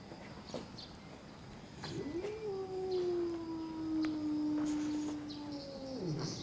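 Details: Red tabby cat outside a park at early morning, confronting another red tabby, gives one long steady low yowl that rises briefly then slowly falls over about four seconds, over faint background hiss.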